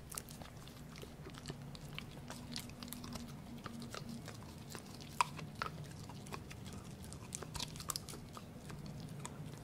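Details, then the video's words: Indoor eating of pork by Gureum, a Pomsky (Husky plus Pomeranian): steady soft smacking and chewing with occasional sharper crunches, over a continuous low murmur. "맛있는 돼지고기 먹방"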